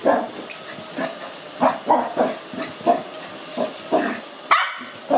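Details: Cookie the Lhasa Apso puppy, five months old, excited and afraid of a robot vacuum, gives a string of short throaty grumbles and muffled woofs roughly every half second, ending in one sharper bark, over mechanical hiss.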